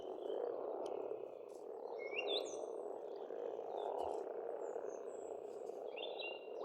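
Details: Frogs croak together in a thick, even drone at a farmstead pond in Estonia in springtime, with a few sharp, high bird whistles and chirps cutting through.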